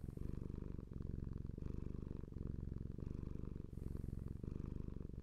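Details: Pet cat purring, a low throaty rumble pulsing in breath cycles about every second and a half, with faint airy hiss on some inhalations; nothing else audible.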